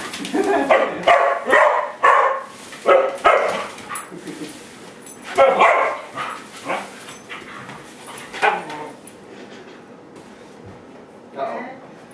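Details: Dogs irritated by a broom bark in quick uneven volleys, strongest early, then thinning to scattered yaps and a final single bark after a lull.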